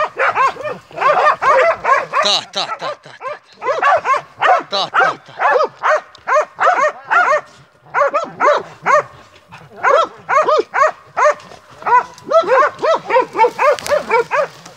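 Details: Montenegrin Mountain Hounds barking on a hunt: rapid, hoarse barks in dense bursts of three to eight, separated by short pauses, continuing steadily with a little human voice in the background.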